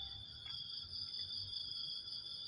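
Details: Crickets calling at dawn, before full daylight: a steady, unbroken high-pitched shrill made of two sustained piercing tones that hold level throughout, with a faint low rumble underneath.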